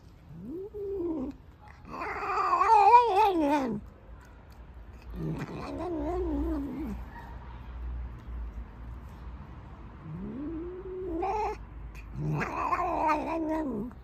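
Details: Loud black house cat yowling repeatedly, with rising moans that swell into long wavering cries, separated by short gaps; five or six calls over fourteen seconds, indoors with faint background hum.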